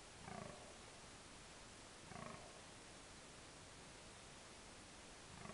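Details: Rutting red deer stag at dusk in October 2014, Park Berg & Bos: deep groaning bellows, three spaced roughly two seconds apart, low and rough under a heavy steady hiss.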